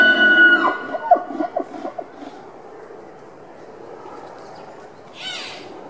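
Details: Wapiti stag in rut at Tierpark Berlin in September 2015, roaring with rutting posture; a high whistled bugle with stacked harmonics opens, then grunting pulses fade, and a brief higher squeal follows near the end.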